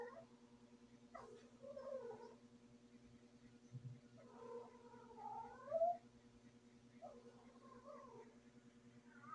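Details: Female domestic cat in heat, indoors, producing soft, drawn-out wavering yowls in three bouts with pauses, fairly quiet against a persistent low electrical hum and a brief thump.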